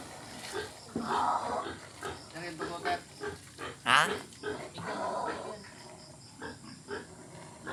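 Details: Wild pigs inside a house, boldly approaching: short rough grunts and snorts in bursts, a louder squealing call near the fourth second, with human speech running throughout.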